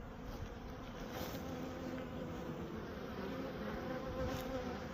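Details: Western honey bees at a honey farm in Manitoba, Canada fill the air with a steady, low droning buzz from their beating wings.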